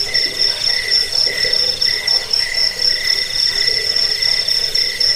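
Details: Cricket song played to scare rats, bring sleep and train songbirds: repeated bright chirp bursts, about four per second, atop a constant high-pitched ringing drone.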